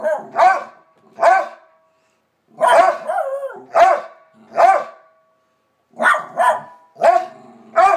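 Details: Barking from two household dogs, Bronner and Bella, in full voice: sharp, loud barks in pairs and singles, one stretched into a wavering whine, with short gaps of silence between groups.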